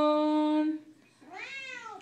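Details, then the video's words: Female Siamese cat joining her owner's singing of a Les Misérables song indoors: a steady sung human note, a pause, then an arched, wavering meow answering it. "Siamese cat loves to sing her favorite "Les Mis" song"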